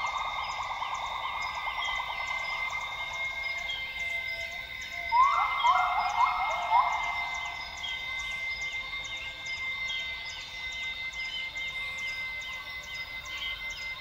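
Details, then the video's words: Northern grey gibbons singing at dawn in the lowland rainforest of Tawau Hills Park, Sabah, Borneo: a mid-pitched hooting band, then a short run of rising, bubbly whoops, over a steady high insect drone. "Northern Grey Gibbon sounds - Gibbons singing at dawn in Borneo's rainforest."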